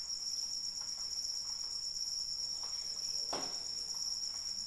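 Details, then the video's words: Steady shrill cricket trill in rainy weather, continuous and even, with faint rain patter and one sharper, louder drop or tap just past three seconds. "Suara Hujan dan Jangkrik Pengantar Tidur"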